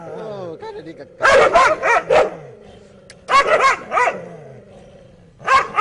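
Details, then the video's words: Dogs barking: a soft tonal whine opens, then loud harsh barks come in three bursts of up to four, with a low steady hum continuing underneath between them. "Dogs barking"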